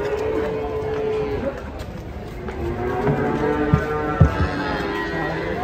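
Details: Agitated cattle rampaging as they come down off a truck, frightening visitors, lowing in a drawn-out, steady tone of about a second, followed by a shorter, broken moo, over a crowded background murmur of voices.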